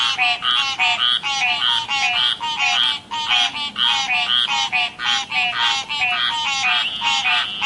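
Tree frogs calling in a dense chorus of rapid, pulsed, nasal notes.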